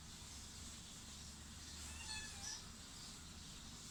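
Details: Baby kitten gives two soft, short, thin meows in quick succession midway, set against a steady low hum and background hiss.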